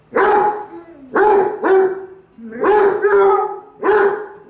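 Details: Basset Hound giving loud, deep barks with a drawn-out, bawling tail, five barks spaced roughly a second apart.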